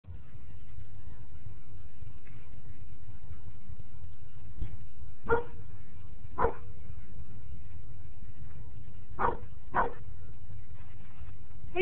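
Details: Dutch, a German Shepherd, barks at a neighbour's dog from his grandparents' backyard: five short, sharp harmonic barks, singly and in quick pairs, over a steady low background rumble.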